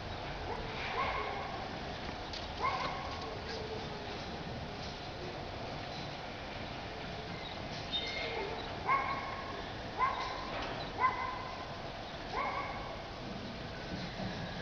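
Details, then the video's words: Bulldog puppies playing in a garden in spring 2012 give short, high squeaky yelps in scattered bursts, some doubled, spaced a second or more apart, with a person's voice coaxing them nearby. "Cuccioli di bouledogue che giocano in giardino."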